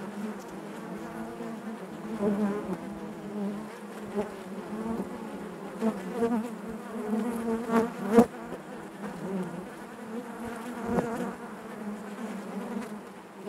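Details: Honey bees humming in their hive: a thick, continuous drone with rippling overtones, brief louder flyby buzzes scattered across it and a slight fade toward the end.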